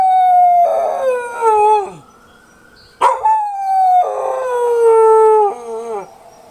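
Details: Keeshond howling at sirens: two long harmonic howls, each starting level and sliding downward before breaking off, separated by a quieter gliding siren tone and a sharp burst at mid-point.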